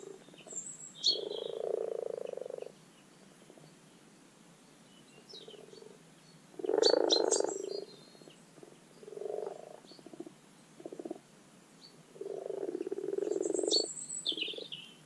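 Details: Common frogs (Rana temporaria) giving their spring spawning call in a garden wildlife pond: low purring, rattling croaks in bursts of one to two seconds, several overlapping, with high bird chirps and twitters above.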